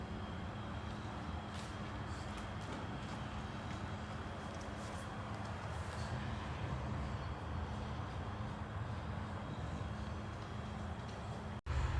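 A steady low rumble of vehicle or engine noise fills the recording, with no animal voice.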